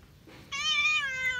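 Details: Domestic cat in the countryside giving a single sustained meow, steady and slightly falling toward the end, with rich harmonics, following a brief soft breathy lead-in.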